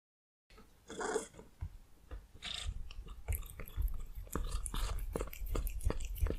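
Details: A cat eating cheese indoors, wet chewing and smacking bites repeated irregularly about every half second, with a few louder crunchy clicks and soft rustling, close to the microphone.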